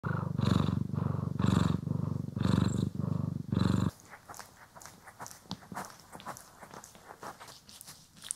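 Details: Domestic cat purring while groomed and brushed, recorded in stereo: deep rumbling purr in pulses about one second apart for four seconds, then soft scratchy brushing and rustling noises take over.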